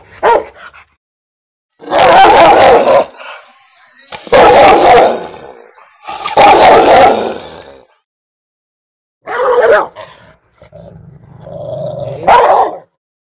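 A Rottweiler gives deep, loud barks, each about a second long, separated by short pauses.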